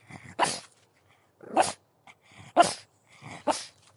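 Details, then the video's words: Pug barking in four short, rough bursts about one second apart, with quieter huffs and snorts leading into each bark. "Pug Dog Barking"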